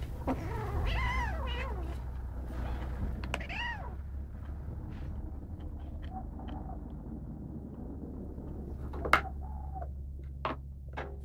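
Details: Greedy kitten, one of a household's pets, being over-protective of its food; drawn-out wavering meow-like wails with rising and falling harmonics in the first four seconds, then quieter clicks and chewing sounds over a steady low hum.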